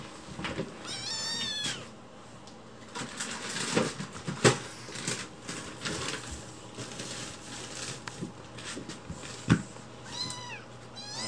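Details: Chicchi, a white rescued kitten found alone, begs in a sweet voice for food while someone is in the kitchen: two high, wavering meows, one early and one near the end, amid indoor clatter and footsteps.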